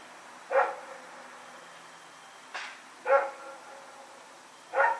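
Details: Dog named Rex out at night, running around, recorded September 21, 2018, giving four separate mid-pitched barks spaced one to two seconds apart over a quiet background.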